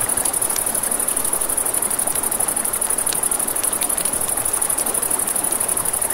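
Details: Crickets at night beside a river, a steady high-pitched trill pulsing rapidly without pause, over crackling campfire pops and snaps and the broad rushing hiss of flowing water.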